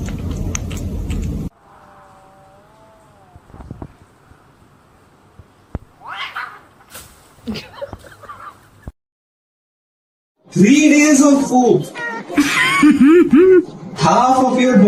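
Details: Domestic cat in a funny-cat compilation: after quieter clicks, thumps and a faint whine, loud drawn-out meowing yowls follow in the last seconds, several arching calls in quick succession with rich overtones, separated by brief pauses.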